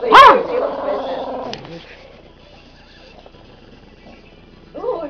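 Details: Dogs in a dispute, a rat terrier and a rat terrier poodle mix against a Brittany: a sharp snarling yelp opens, then a low rumbling growl fades over about a second, another brief snarl near the end; people talking in between.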